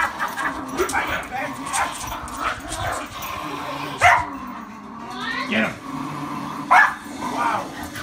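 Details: A Miniature Schnauzer growls and yips while playfully attacking a person's foot, with sharp barks breaking through the person's voice.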